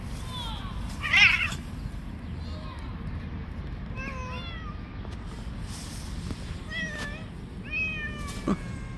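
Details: Street-living stray cats fighting, one attacking the rest: a run of bent, wavering meows with strong overtones, several in quick succession, plus sharp clicks and a constant low hum of outdoor noise.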